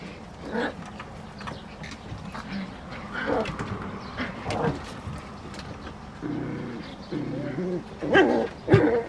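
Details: San'in Shiba puppies scuffling in a basement, including the lively eldest female: scattered thumps and short snorts, then a run of low, throaty growls in the second half, ending in sharper bursts.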